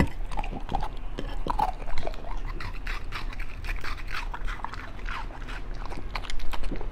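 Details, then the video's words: Beagle eating raw food indoors, including chicken leg, duck gizzard, pork liver, chicken breast, rabbit kidney, bell pepper and pumpkin jelly; dense wet chewing, crunching and biting throughout, with low handling noise. "ASMR Beagle eat raw foods."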